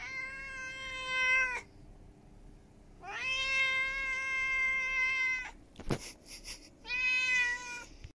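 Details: Demanding ginger stray, turned up at a house on an evening in July 2021: three insistent, loud meows, the middle one long and steady, with a sharp knock or click before the last.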